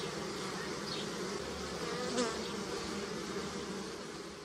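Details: Honey bees humming on apple and pear blossom near the hive, natural sound; continuous buzzy drone with a single bee passing close near two seconds, its pitch sliding and a brief swell in loudness, then the steady hum resumes.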